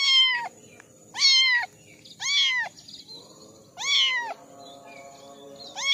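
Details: Orange kittens, one of a litter of four, give high, bright, shrill meows, each rising then falling and rich in overtones, repeated about once a second with short pauses over a faint background murmur.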